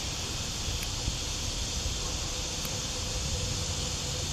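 A cicada's steady, high buzzing drone runs unbroken, with a low rumble of background noise underneath.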